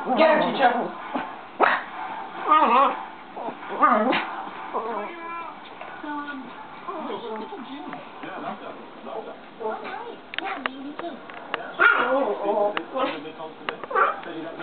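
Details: Playful dogs, a Pomeranian and a Cane Corso, with short yips and barks scattered among loud human speech and laughter over about fifteen seconds.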